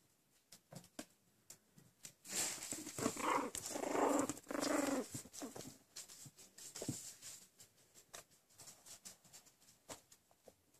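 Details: Four-week-old Chihuahua puppies give soft whimpers and squeaky vocal sounds indoors.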